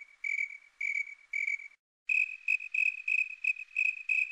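A snowy tree cricket gives steady, pure-toned chirps, each a short high trill repeated in an even rhythm.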